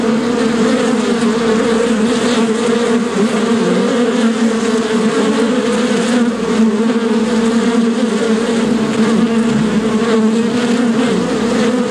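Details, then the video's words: Steady loud buzzing of many bees, known locally as shinni, a constant droning hum with layered low tones and no pauses. "Shinni / bees"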